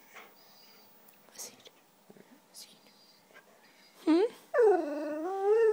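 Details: Indoor white Siberian Husky, a female, asking for cheese doodles: soft murmurs and faint human speech, then a sharp rising yelp and a long wavering whine-howl that sways up and down.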